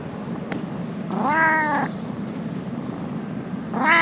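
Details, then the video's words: A stray ginger cat in Japan, described as affectionate, meows after being woken up: one drawn-out harmonic meow of about three-quarters of a second, then a second meow rising at the very end, over steady low background hum. "Cute stray cat started saying something to me when I woke him up."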